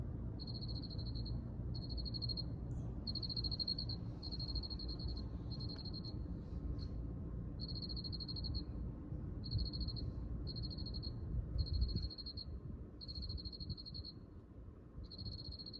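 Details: High, rapid pulsed chirps from a cricket come in bursts of about a second separated by brief pauses, over a steady low background hum.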